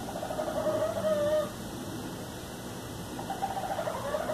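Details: A raccoon outside in the city in Los Angeles, California, gives a wavering, clucking trill like a chicken for about a second, then repeats it more faintly, over low background noise.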